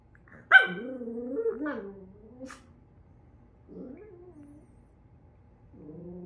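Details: Miniature Schnauzer reacting to a toy reindeer it dislikes: a sharp bark-like onset sliding into a wavering, moaning growl-whine over about two seconds, then two shorter grumbling vocalizations after pauses, in a quiet indoor setting.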